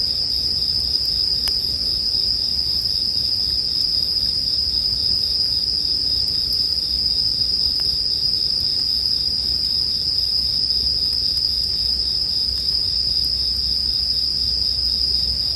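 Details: Bell crickets chirring in a steady, unbroken high ringing band that holds the same pitch throughout, with occasional soft pops and crackles of a campfire and a low rumble underneath, made as sleep background sound.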